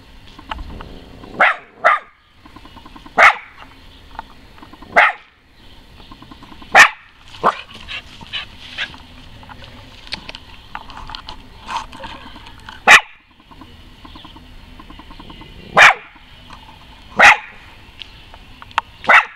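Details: A West Highland White Terrier gives sharp, high barks during a voice test, single or in quick pairs, spaced irregularly.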